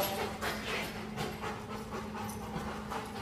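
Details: A 13-month-old Rottweiler pants in rapid, breathy bursts of broadband noise, roughly one or two breaths per second, with a steady low hum underneath.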